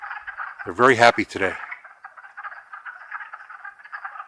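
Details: Spring chorus of wood frogs, Longkill Woods, April 2014: a brief human voice near the start, then a continuous mass of quick, rattling clucks from many frogs calling together.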